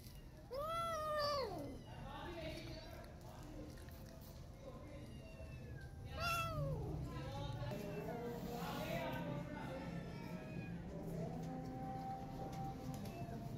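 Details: Angry mother cat chasing a feral cat to protect her newborn kittens; loud harmonic meows that rise then fall sharply, two strong calls near the start and middle, followed by softer wavering cries over steady low background hum.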